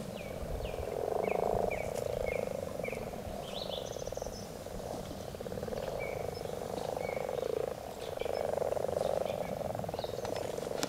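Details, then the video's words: Frogs croaking in a dense, continuous chorus, a low rattling drone that swells and fades in long waves, with scattered short chirps and bird notes above. "Konn krooksumas.Frog"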